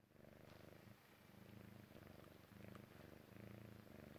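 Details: Persian Chinchilla cat named Jessie, a kitten, purring while relaxing and falling asleep; steady low rumbling purr in rhythmic pulses, swelling and fading with each breath roughly every second, quiet room.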